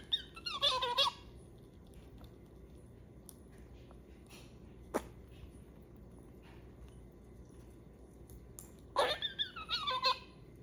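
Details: Princess Serena, a female pet squirrel in heat, talking while eating, likely sunflower sprouts, indoors: two short bursts of high, wavering squeaks with falling harmonics, near the start and again after nine seconds, a single click between them, otherwise quiet room.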